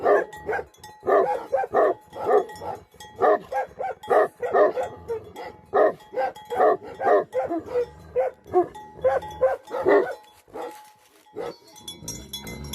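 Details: Himalayan Nepal: Bhote Kukur, the Tibetan Mastiff guardian breed, barking almost without pause. Hoarse, mid-pitched woofs run in rapid series before a brief quiet, and a faint ringing tone lingers behind them.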